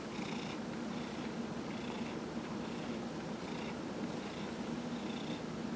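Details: Fifteen-year-old Dillard, a pet cat diagnosed with small cell lymphoma, purrs contentedly as his body is massaged, November 27, 2018; a rhythmic breathy purr with regular in-out pulses about once a second beneath a constant low indoor hum.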